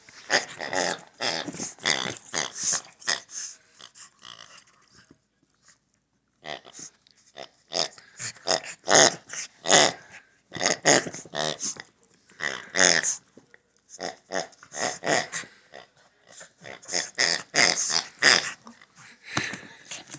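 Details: A Shih Tzu at play with its favorite pig toy growls and snorts in dense, raspy runs, pausing briefly around five and ten seconds before launching into further vigorous bouts of wheezy grumbling.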